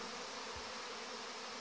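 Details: Mass of young honey bees flying their August orientation flight around the hive entrances, a busy time easily confused with robbing. A continuous, unbroken drone of many wings, with one short low bump.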